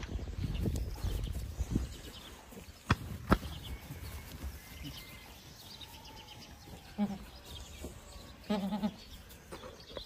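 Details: Boer goats on a farm; two short bleats near the end, each a nasal, harmonic-rich wavering cry, over a heavy low rumble with scattered knocks and clatter.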